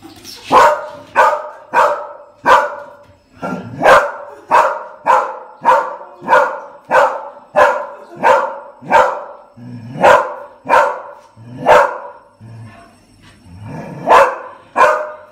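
An English Springer Spaniel barks steadily, sharp single woofs coming roughly every half second to second.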